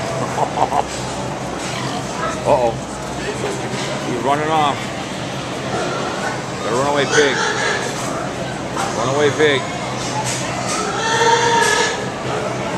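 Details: Pigs crying at the Minnesota State Fair in 2017: a series of short, arched, wavering squeals comes about every two seconds over steady crowd chatter and people talking nearby in a busy barn-like space.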